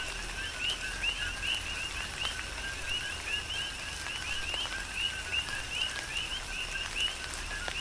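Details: Chorusing coqui frogs heard during tropical rain on the Big Island, Hawaii. Rising chirped notes, each with a lower partner tone, come several times a second from overlapping callers above the soft wash of rain and drips.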